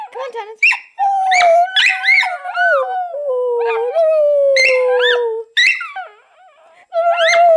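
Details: Pet Schipperke howls along with its owner, drawn-out tones gliding downward mixed with warbling, rising-and-falling higher howls, several bursts in a row with brief pauses.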